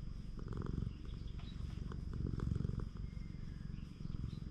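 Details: Free-roaming stray cat on a Japanese cat island purring steadily while its body is stroked, a deep continuous rumbling with fine rapid pulsing in breaths, light rustling and handling noises over it.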